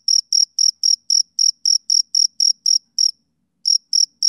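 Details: A male cricket chirps on a summer evening: bright, shrill pulses about four per second, then a short pause of roughly half a second before the chirping resumes. Nothing else is audible.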